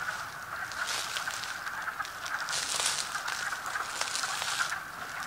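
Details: Many wood frogs calling from water in a strip mine pit below Bear Valley Overlook, heard from above: a dense, steady chorus of overlapping duck-like clucking calls, with no clear gaps.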